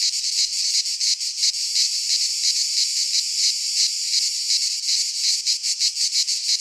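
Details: Chorus of cicadas in a pine forest in Greece at midsummer, a loud unbroken high buzz that swells and dips in quick rhythmic pulses, near three each second, steady throughout with nothing else audible.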